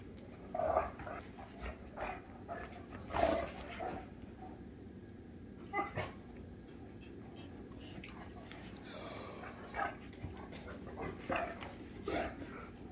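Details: Two Great Danes, Rhapsody and The Heartbreaker, play together indoors, giving short whimpering yelps and soft barks at irregular intervals, mixed with panting and a person talking nearby.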